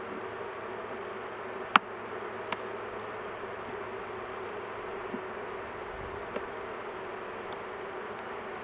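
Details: Continuous low hum of a honey bee colony during work on a large hive, the queen kept in a cage so she is not crushed; several sharp clicks and knocks, one loud at about two seconds.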